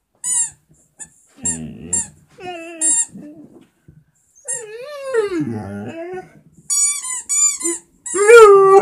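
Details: A Vizsla howls at a squeaker toy in long, wavering, sliding notes, interrupted by sharp high squeaks from the squeaky toy.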